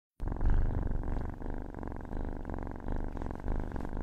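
A cat purring steadily, a deep continuous rumbling vibration with a fine rapid pulse.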